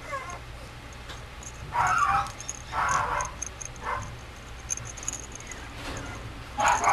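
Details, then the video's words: Mame Shiba puppy at a breeder's kennel giving short, high, tonal whimpering cries in four separate bursts, two of them longer and wavering, the last rising at the end, over a steady low hum and faint background noise. "豆柴 子犬"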